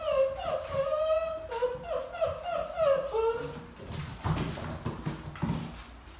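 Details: Dogo Argentino puppies at the vet, whining in a run of high, wavering cries that rise and fall for about three seconds, followed by rustling and handling noises indoors.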